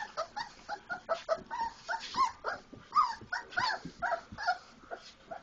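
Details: Four-week-old Labrador Retriever puppies playing after eating, giving a steady run of high, harmonic whimpers and squeaky yips, overlapping and rising and falling, several per second throughout.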